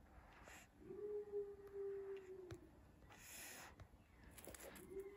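A Miniature Bull Terrier gives a steady, drawn-out whine, held for over a second, then starts again.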